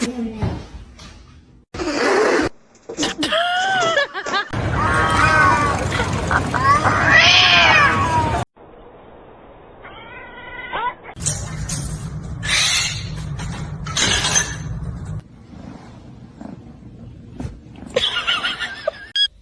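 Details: Kitten crying with a run of drawn-out, rising-then-falling meows in close succession, each carrying a bright stack of overtones, broken by sudden cuts, bursts of noise and bits of human voice.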